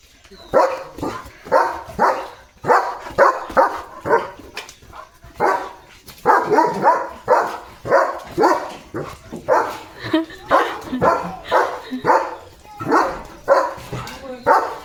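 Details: Excited German Shepherd named Leo, a pet with a new pipe toy, keeps up a long, steady run of loud barks, roughly one and a half per second, with brief pauses and a man's voice in the background.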